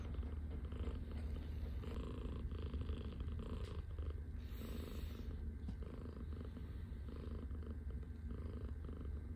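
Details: Scottish Fold cat purring softly after taking over its owner's arm as a pillow on waking in the morning; a steady low rumbling purr continues throughout, with faint rustling.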